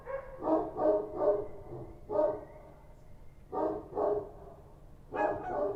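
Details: Kochi street dogs barking at night in Kabul, Afghanistan: rough, broad barks in irregular bursts of two or three, with short quiet gaps between volleys.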